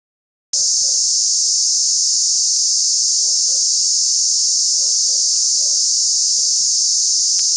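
A cicada buzzes loudly in a steady, high, unbroken drone.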